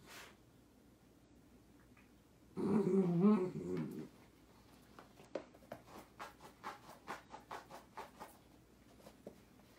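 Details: A Dachshund gives one loud, rough, low-pitched vocal burst lasting about a second and a half, then goes quiet while a series of sharp clicks or taps follows.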